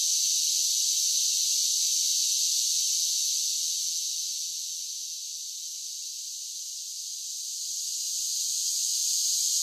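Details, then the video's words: Cicadas singing in summer, a steady high, dense buzzing drone with no breaks that softens slightly midway before swelling back to full strength, with no other sounds. "10 Hours of Cicada Sounds for Relaxation with Soothing Summer Nature Sounds"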